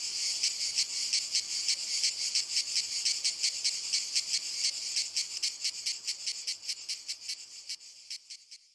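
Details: Cicadas in walnut trees in Italy sing a high, rasping buzz broken into rapid pulses that fades away at the end.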